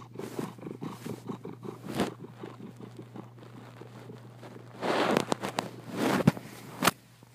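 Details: Marley, a happy cat, purring in soft rhythmic pulses for the first few seconds, then fading as louder rustling, bumps and handling noises take over the second half.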